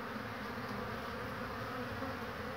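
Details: Honey bees foraging for pollen in fair spring weather, 22 March 2019; a soft continuous buzzing drone of several bees in flight, even and low throughout.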